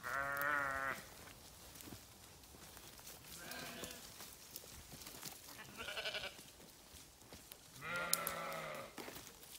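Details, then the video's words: Several sheep bleats a few seconds apart, each a shaky, nasal 'baa' lasting under a second, the first and last loudest, with background rustling and faint noise between calls. "Sheep Sounds"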